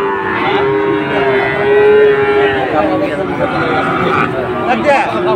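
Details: Sahiwal bulls at a cattle market in Dhaka, Bangladesh, on 16 September 2024, where a farmer buys a bull. A long, steady, mid-pitched moo holds for several seconds with rich overtones over busy market noise.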